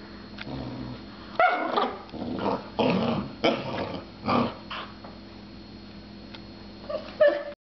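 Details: Puppy giving a series of short, rough growling bursts, about five between roughly one and a half and four and a half seconds, then a quieter pause before one last burst near the end, over a steady low background hum.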